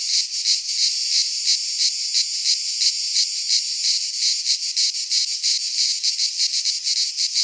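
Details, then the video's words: Midsummer chorus of cicadas in a pine forest in Greece, a continuous high rasping drone that swells and fades in rapid pulses roughly three per second, steady throughout. "Cicadas singing in midsummer"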